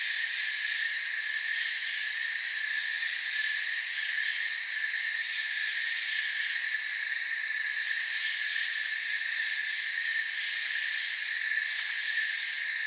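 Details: Many crickets chirping together in a forest, forming a constant high-pitched buzzing wall of sound with layered tones that never breaks, evenly loud from start to finish.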